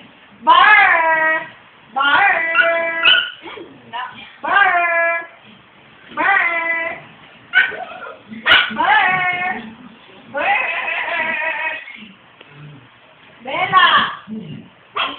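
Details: Siberian Husky named Ryuk giving a run of drawn-out, bending, tonal vocal phrases, each lasting about half a second to a second, repeated in bursts with short pauses between them.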